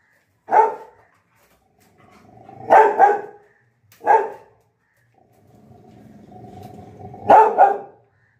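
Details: Lily, a pet Labrador Retriever whose apple has dropped, barks in sharp bursts, some doubled, separated by stretches of low growling; four bark groups over eight seconds.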